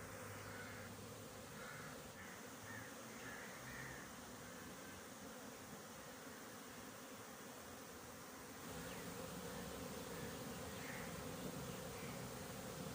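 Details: At a honey bee farm on 20 January 2021, many Western honey bees make a steady, dense hum with a low droning buzz throughout.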